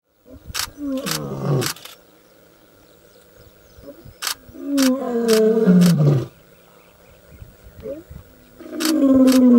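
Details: Young male lion in the African bush roaring to announce his arrival: deep moaning roars that slide downward in pitch, separated by short pauses, with sharp clicking sounds scattered throughout.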